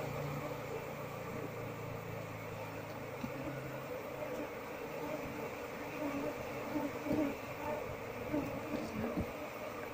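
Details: Honey bee colony nesting under a window beam, disturbed while the nest is taken apart to find the queen and move the bees into a hive box; a steady droning buzz with clicks and handling noises.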